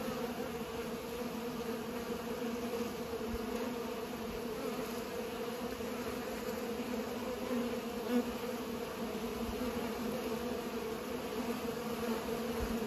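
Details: Several bees at work pollinating give an unbroken, droning buzz of low hums, steady in loudness from start to finish.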